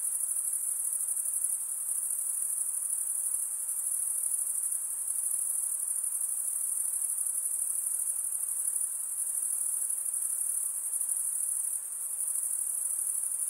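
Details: Nocturnal insect chorus: a constant piercing high buzz of many callers, nearly even throughout with one brief dip near the end, and faint low hiss.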